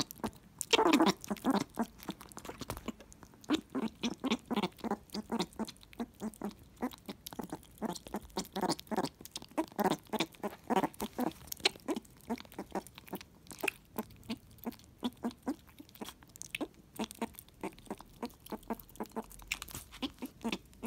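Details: Pumbaa, a house meerkat, worked up over a treat of animal jelly eaten straight off the floor. A long run of quick, clicky chirps pulses steadily several times a second, with brief pauses, while people laugh nearby.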